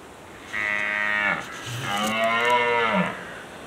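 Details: A red deer (Cervus elaphus) stag during the 2019 rut in Killarney National Park, County Kerry, Ireland, gives two deep, drawn-out groaning roars, each sagging lower at the end.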